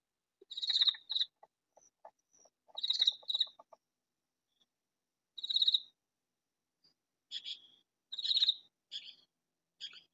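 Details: In a vegetable garden a katydid rasps out short, scratchy, buzzing bursts in pairs and singles, some clipped and stuttering, with scattered faint clicks and ticks between.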